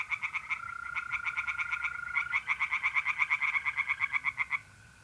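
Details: Pond tree frogs in North-East Italy sing at night in mid-April. Rapid rasping pulses come about three per second, and a steady whining trill from mole crickets runs under them until the chorus stops abruptly near the end.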